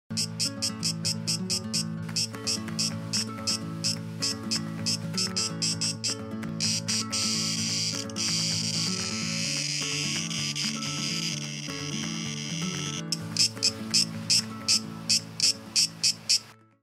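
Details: Male Cicada orni courting on an apricot tree in summer: harsh, rasping clicking pulses about four per second, merging into a continuous buzz midway, then pulsing again, over steady background music.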